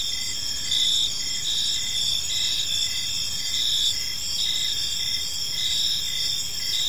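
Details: Evening cricket chorus in a peaceful park, a dense high-pitched ringing with rhythmic chirp pulses recurring about every half second, layered voices overlapping continuously.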